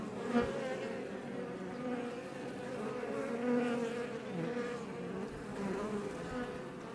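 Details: Recorded up close by a Langstroth beehive west of Roquetes, Catalonia, Spain, Iberian honey bees make a constant collective hum, individual bees briefly louder and shifting in pitch as they zip by.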